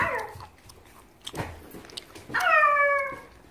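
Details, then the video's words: Bokdeongi, an angry pet puppy indoors, lets out a single loud drawn-out whining bark that falls slightly in pitch over almost a second, preceded by quiet rustling, small clicks and faint voices. "복덩이 버럭 모음 내집 내털 돌려줘요, 우리 강아지가 화났어요"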